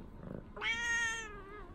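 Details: Tabby cat named Rimu greeting her owner coming home at the door, wandering about indoors; a single clear drawn-out meow, bright and slightly falling at the end, after a soft low rustle.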